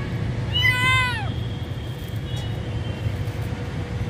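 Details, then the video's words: Homeless kitten separated from its mother gives one clear, drawn-out meow that rises then falls, lasting under a second, over a steady low background hum. "This kitten is separated from its mother"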